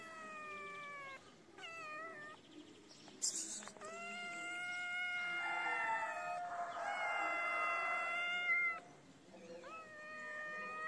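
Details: Kitten crying for food: insistent high meows, several short ones and then a long wavering wail held for about five seconds, followed by more short cries over faint background noise.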